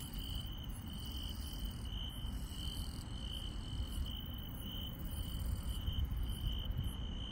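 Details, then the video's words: A rural night chorus of grass insects: a loud, even trill holds throughout while fainter, very high chirps pulse repeatedly in bursts, underlaid by a low rumbling background. "시골 밤의 정겨운 풀벌레 소리"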